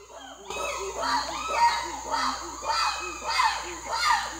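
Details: Habituated chimpanzees living in an island sanctuary community, free-roaming by day, call loudly in a quick series of rising, hooting cries with a harsh, human-like edge.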